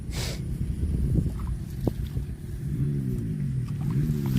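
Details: Low rumbling and scattered knocks, then from the midpoint a cow moos in a long, deep, harmonic drone that holds to the end.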